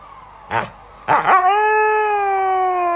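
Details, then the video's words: Pet Siberian Husky howling: two quick yelps, then a strong howl that swoops down and settles into a steady, sustained tone to the end. "Có ai bị nghiện nghe tiếng hú của em Ngáo không | Funny Husky Howls"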